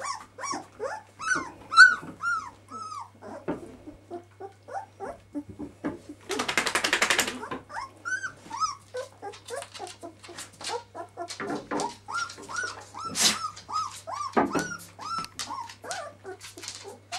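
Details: Kiska's twelve-day-old puppies squeal and whimper indoors: many short high arched cries overlapping continuously, with a burst of rustling noise midway.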